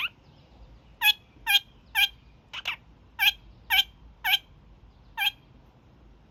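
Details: Kakariki, a young male pet, during his daily evening honking session: loud, short, harsh honks repeated roughly twice a second in a fairly steady series, with one softer, thinner note midway.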